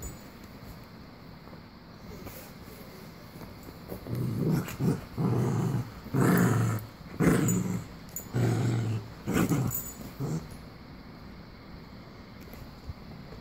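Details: Two Cavalier King Charles Spaniels (Canis familiaris) playing together growl in low, rumbling bursts during rough play.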